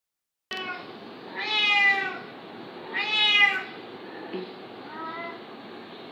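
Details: Cat fighting a kitten: two loud drawn-out harmonic meows about 1.5 seconds apart, then softer, shorter meows over a steady background hiss.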